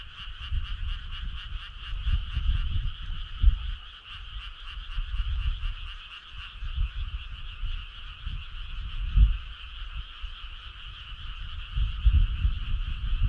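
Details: Frogs calling on a summer night as a steady, dense chorus of rapid trilling, holding an even pitch throughout, over heavy low rumbling noise.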